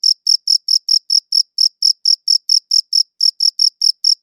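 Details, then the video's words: Cricket chirping on a good audio recorder: a fast series of sharp high chirps, about four per second, broken by two brief pauses before the rhythm resumes. No other sound is present. "Cricket Chirping Sounds"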